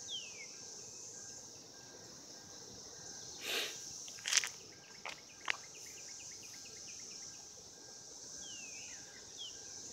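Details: Continuous shrill droning of cicadas during mating, recorded in 2016, interrupted midway by several sharp knocks and thumps, with a brief series of soft ticking chirps and a few falling whistles near the end.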